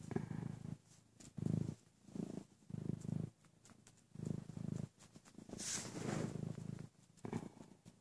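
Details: A male Maine Coon kitten about 11 months old, taken from its mother before 5 weeks, suckles on a blanket while purring, a low steady rumble that swells and fades with each breath.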